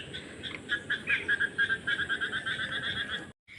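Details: A chorus of frogs in a waterlogged field beside a village house gives quick, repeated croaking pulses over the steady patter of drizzling rain, as their evening calling begins.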